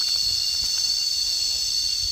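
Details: A loud, even cicada buzz runs without pause, a dense high-pitched whine of stacked tones over light low-frequency rumble.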